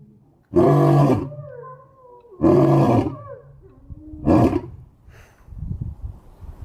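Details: Lion roaring: three loud, deep, harmonic roars of about a second each, spaced roughly two seconds apart, then lower grunting rumbles as the series fades.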